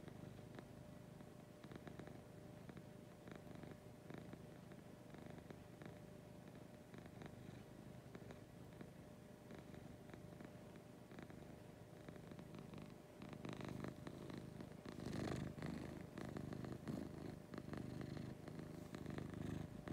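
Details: Lucy, a pet cat, purring in the morning indoors: a low continuous rumbling purr that grows louder and rougher in the second half, with faint clicks and rustles.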